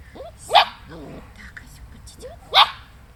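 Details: Female Black Russian Terrier puppy, Astra Fidelis, gives two short, sharp barks about two seconds apart, each a bright burst. Softer vocal sounds and a person's voice fill the gaps between them.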